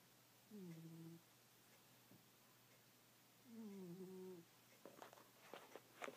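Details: Goldie the house cat, fast asleep, gives two long, tonal snores that fall slightly in pitch and last about a second each. A burst of soft clicking and scratching follows at the end.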